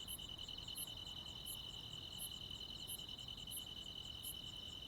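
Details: Crickets and other insects on a summer night in the countryside: a steady high shimmering trill runs throughout, with sharper, higher chirps repeating roughly every 0.7 seconds over a faint low background hum.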